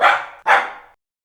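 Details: Rusty, a Maltese Poodle puppy, gives two loud, sharp barks in quick succession, each a harsh burst that fades over about half a second, then silence.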